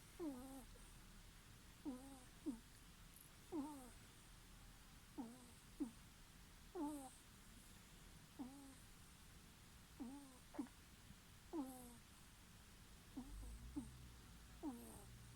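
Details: Sleeping ferret snoring: soft, squeaky nasal snores, each a short harmonic squeak that bends up or down, recurring roughly once a second in an irregular rhythm over a faint, steady background hiss.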